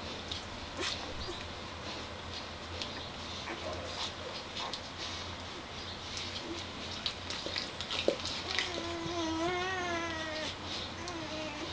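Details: One-day-old puppies: a thin, wavering whine rises and falls near the end, under constant rustling and crackling with a low hum throughout.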